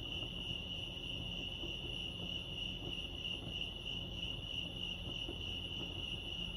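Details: Chirping crickets by Lake Arrowhead in California: a sustained high-pitched pulsing note, roughly three beats per second, steady throughout, against a dull low-frequency murmur.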